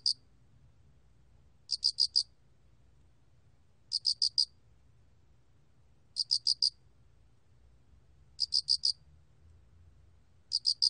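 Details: Song of the spotted cricket (알락귀뚜라미) from the National Institute of Biological Resources, 2020. Crisp, high trills of three to four quick pulses repeat steadily about every two and a quarter seconds over a faint low background hum.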